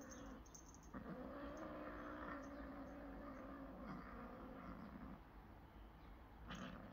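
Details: Cats fighting after play: a long, steady, low moaning growl with wavering harmonics lasting most of the seven seconds, set against constant background hum.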